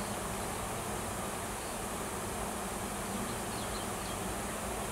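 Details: Honey bees swarming in Washington after a new queen led worker bees out of the nest to find a new home; thick, unbroken buzzing hum, low and steady, with faint high chirps near the end.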